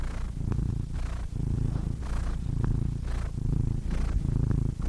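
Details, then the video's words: Close, low purr of a cat, continuous rumbling with breaths audible as soft hissing surges about every second, brief dips between them. "Cats Purring Soothing Sound Effects (Relaxing Cat Sounds)"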